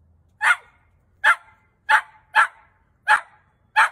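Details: Dachshund, a sausage dog, giving six short, sharp barks spaced roughly two-thirds of a second apart, each a quick burst with nothing else heard between them.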